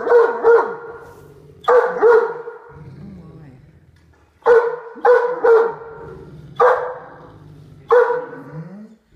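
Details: Growling of a pet female Great Dane indoors, warning her brother away from the dinner she eats in her favorite chair. Six sharp, loud, voiced bursts, often in pairs, with quieter grumbling between them and a pause midway.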